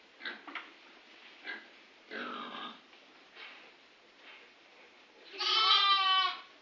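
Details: Grey Face Dartmoor ewes with their new-born lambs, less than two weeks old, on a farm. Soft rustling and snuffling come first, then one loud, wavering, richly harmonic bleat of about a second closes the recording.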